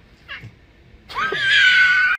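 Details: Domestic cat indoors giving one long, loud meow that rises sharply and then holds steady, strained and wailing, for about a second, after a brief faint sound and a quiet pause.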